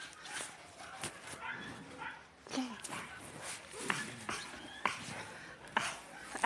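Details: Yakutian Laika dog giving short yelps and thin whining yips scattered among sharp clicks and household clatter, with human voices faintly in the background.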